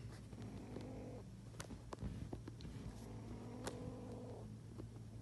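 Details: An angry kitten gives two drawn-out, strained growling cries about three seconds apart, with soft clicks and small knocks scattered between them and a constant low hum beneath.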